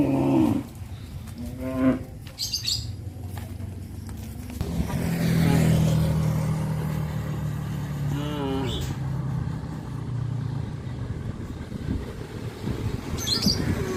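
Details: Tame cows on a traditional village farm, roaming along a highway: one long, low, droning moo holds steady for about three seconds midway, with a few shorter lowing sounds before it, over a constant background hum and faint chirps.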